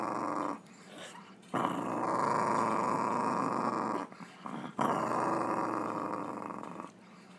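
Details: Chihuahua making a weird noise: a sustained rough, buzzing growl of about two and a half seconds, a short gap with small grunts, then another long rasping stretch that fades out.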